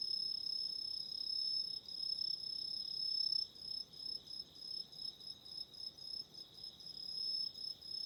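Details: Night chorus of autumn insects near a burning candle: a continuous shrill high ringing that later breaks into quick pulsed bursts, roughly two or three per second, over a quiet background.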